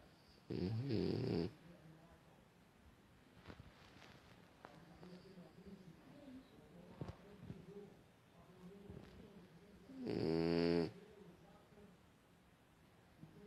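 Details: Female house pig fast asleep indoors, snoring twice about nine seconds apart, each breath a coarse, vibrating rasp near a second long, with soft rustles and faint breathing between.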